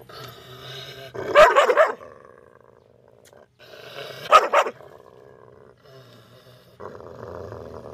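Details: Dog barking angrily and loudly at a stranger: two rough, growling bursts of barking a few seconds apart, set against a steady low mechanical-sounding hum.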